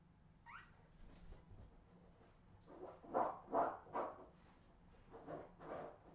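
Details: Australian Terrier puppies of the Redwing line, 2018: a few short rising yelps, then a run of soft muffled barks or whines in quick succession, quiet indoor background.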